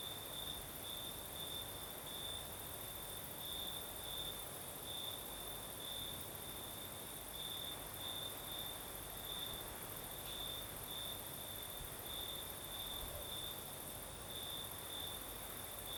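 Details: Night crickets in southern Crimea, with a night breeze blowing: one continuous high trill broken into short bright pulses every half second or so, laid over a steady airy hiss and a fainter high insect drone.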